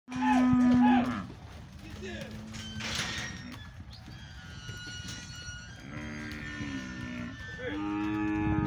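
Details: Oxen, a lot of seven, at a cattle auction house in Monte Aprazível, São Paulo, Brazil, on Saturday 31 October 2020; a loud steady low moo opens, then further lowing calls later over the murmur of the sale hall.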